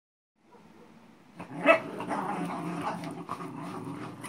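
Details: A Xolo pup and a Manchester Terrier play tug. A quiet start leads to rough, low growling and snarling with scuffling noises that run steadily from about halfway through to the end.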